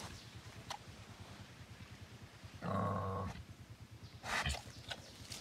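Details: Wild boar piglet making a single loud, sustained, buzzy squeal lasting under a second, followed by a short sharp noise, with a low steady hum underneath.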